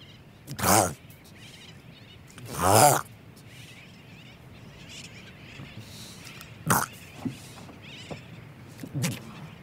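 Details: A Hawaiian monk seal pup, recorded close up, gives two loud, hoarse, wavering bleats about two seconds apart, then shorter huffs and breaths, with sooty terns calling in the distance.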